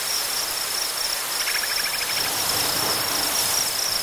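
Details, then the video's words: A cricket chorus in tall grass prairie trills in a steady, high, shimmering, unbroken drone over strong wind rushing through the grasses, with brief faint chirping midway. "Cricket Chorus"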